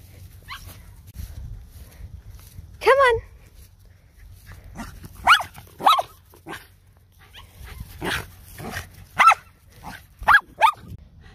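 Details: A Shetland Sheepdog being exercised, asked to speak, gives several short sharp barks spaced irregularly over the clip, mixed with a person's voice giving commands.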